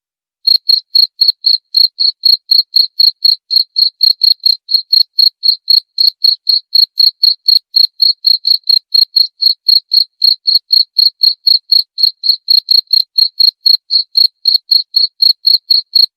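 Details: Cricket chirping, played to drive away rats: a steady, high, clear pulsed trill repeated about four times per second throughout, regular and unbroken, with no other sounds.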